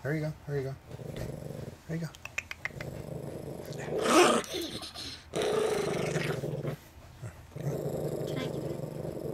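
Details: A Chihuahua–Miniature Pinscher cross family dog growls while guarding his peanuts indoors, a low rumbling growl in bursts, interrupted by a person speaking soothingly and brief rustling noises.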